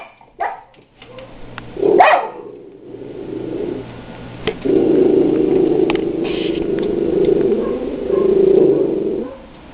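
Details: Daisy, a guard dog, barking indoors after hearing another dog, Luke, bark outside; a sharp bark near two seconds, then a long, steady, low-pitched drawn-out vocal sound lasting several seconds, with some clicks and faint room noise.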